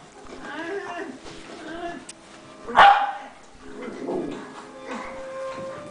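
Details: Rat Terriers at play indoors, three of them romping with their brother Oscar, littermate of Safari; whiny, wavering yips lead into one sharp, loud bark near the middle, followed by softer whimpering tones and a faint voice.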